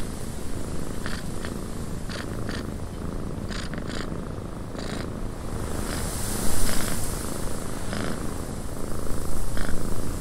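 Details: Cat purring in a cabin on a windy day, a continuous deep vibrating rumble broken by scattered short crackling clicks, and a louder rush of wind swelling around the middle.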